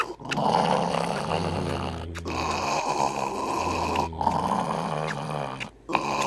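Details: Grumpy in the morning, pet dog Hercules keeps up a continuous low, rumbling growl with two longer droning moans, broken by brief pauses and a faint click at the end.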